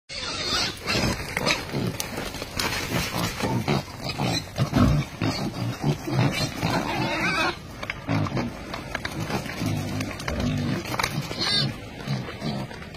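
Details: A wild boar family living on a mountain gives rough, low grunts and snorts in an irregular stream.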